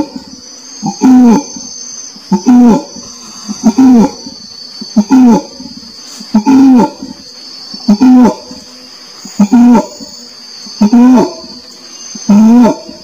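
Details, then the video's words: Orangutan calling: a series of low, moaning tonal calls, each about half a second long with stacked harmonics, repeated roughly every one and a half seconds over a steady high insect drone. "SUARA ORANG UTAN"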